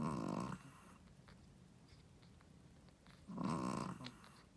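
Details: Shih Tzu mother dog, a first-time mother, snoring loudly while asleep indoors; two rough, rumbling snore bursts about three seconds apart, separated by quiet breathing.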